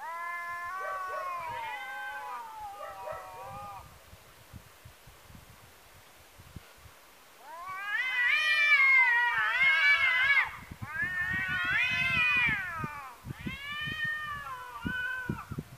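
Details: Two domestic cats fighting, a neighbour's cat confronting a rival after fleeing a person. Warbling yowls at first, a lull, then loud shrill overlapping wails rising and wavering for several seconds, with scattered clicks and rustles.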